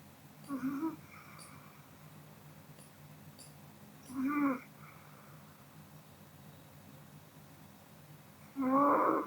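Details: ['Pomeranian Kodama asleep after eating; three reedy snoring breaths at uneven spacing, the last one loudest, with faint clicks in the quiet background.']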